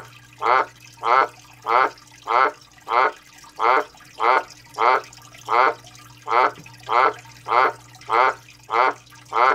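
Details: Australian white dumpy tree frog, a male calling non-stop for three days, indoors: loud, hoarse croaking pulses with a rasping, vibrating texture, repeated steadily about every 0.6 seconds across the whole stretch, over a faint low hum.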